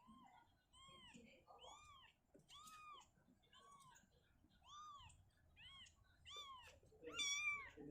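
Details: Mother cat Shizuka relocating her kitten from a cabinet to an open spot indoors; a rapid series of about a dozen arched meows, several higher and thinner, the last one loudest.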